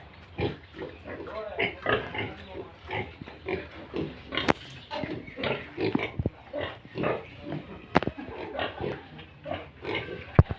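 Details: Yorkshire and Hampshire pigs at a farm in Bongaigaon, Assam, producing a steady series of rough, rasping grunts with a few sharper squeaky bursts, plus low rumbling and occasional clicks.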